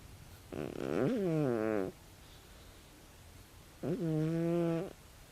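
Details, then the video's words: Tabi, a sixteen-year-old calico cat, snores loudly while asleep indoors: two drawn-out, low, buzzy breaths with a clear harmonic tone, each lasting about a second and spaced about three seconds apart, against a quiet background. "タビ 猫のいびき"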